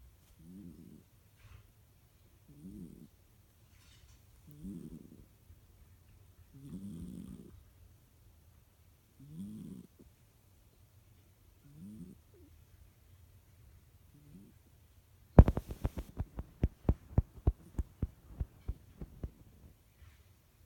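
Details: Sleeping cat, nearly 14 years old and not ill, recorded February 2017, snoring softly: low rasping snores repeat about every two and a half seconds, six in a row, followed by a burst of sharp clicking and tapping noises.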